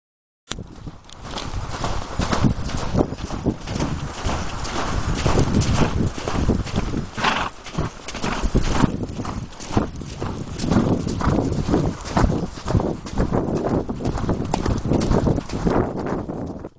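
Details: Appaloosa mare ridden at a gallop and canter, filmed 2010-2011 around Sherman, The Rail Golf Course and the trails of Riverside Park; dense, rapid drumming of hooves on the ground, steady and heavy throughout, with wind rushing across the recording.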